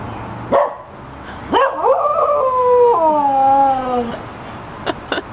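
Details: A young 2-year-old Cocker Spaniel gives a short yip, then a drawn-out, wavering howl that slides lower before breaking off, sounding like an old dog's howl.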